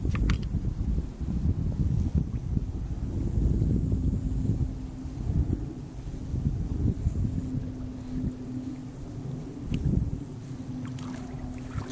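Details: Steady low rumble of wind and water noise with a faint sustained hum and occasional knocks; no animal voice.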